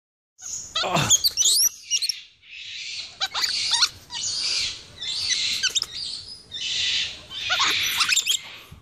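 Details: Capuchin monkeys in Ecuador in April 2015, one pulling on a person's finger: harsh, hissing screeches in rhythmic bursts about every second, laced with sharp high squeaks and chirps.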